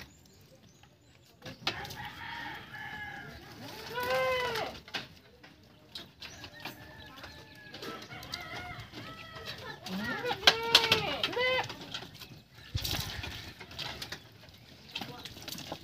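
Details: Bath time for a purebred Anglo-Nubian buckling: a series of short, strained, rising-and-falling bleats scattered through the recording, mixed with splashing water, scrubbing and clattering noise.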